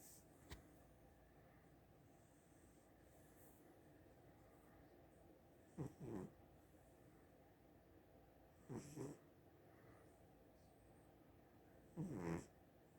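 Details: Domestic cat snoring at rest, faint soft breathy snores repeating roughly every three seconds in a quiet room, with little other sound.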